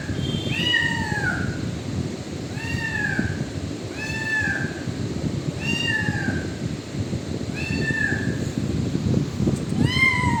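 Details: A kitten in a shop area gives high, thin meows, each one arching up and falling, about every two seconds.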